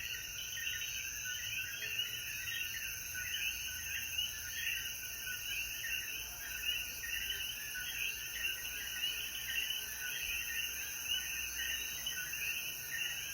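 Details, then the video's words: After rainfall at sunset in Jayuya, Puerto Rico, a mass of coquí frogs keeps up steady repeated chirping, individual notes blending into an unbroken chorus over a persistent high-pitched insect hum. "Sonidos de Coquí"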